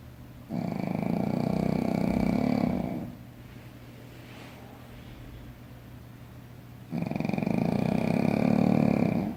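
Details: Shih Tzu dog sleeping deeply and snoring: two long rasping snore breaths of about two and a half seconds each, separated by a quiet inhale of several seconds, in a small indoor room.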